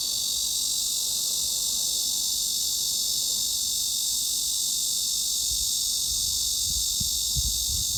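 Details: A cicada's steady, high, hissing drone around 3.5–4 kHz (mid-frequency) carries on without a break, used as a masking sound for tinnitus.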